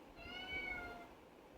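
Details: Pet kitten called Pavi kutty, kept in a cage, meowing to be let out; one drawn-out harmonic meow, steady then slightly falling, in a small quiet room.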